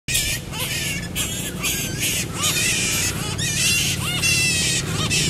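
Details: Variable flying fox during pairing: harsh, buzzy, harmonic-rich squawks repeated roughly once a second, some with short arched lower notes, over a steady low hum.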